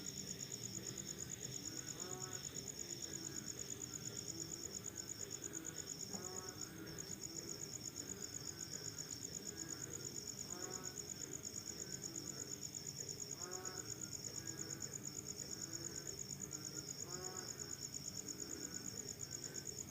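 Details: Crickets calling at night after rain with an unbroken, shrill, rapidly pulsed chirping, while lower falling calls from another animal recur every few seconds beneath it.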